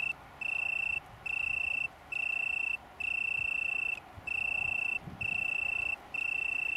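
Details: On downland near Brighton in England, an Italian tree cricket (Oecanthus pellucens) colony sings on 21 September 2019; clean continuous trills of half a second to over a second, separated by brief pauses, with faint low background rumble.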